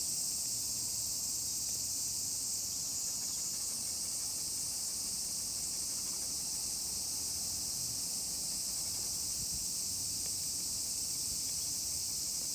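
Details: Countless cicadas call on a walk with a miniature pinscher named Colin. The insects make a continuous, even, piercing hiss that never breaks. Soft low rumbling and rustle sit beneath it.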